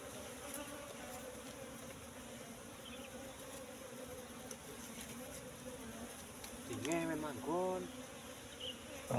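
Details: Wild Asian honey bees at a nest discovered in bushes, colony recently split with queen eggs hatched; continuous even droning hum for several seconds, then a man's voice briefly over the buzzing.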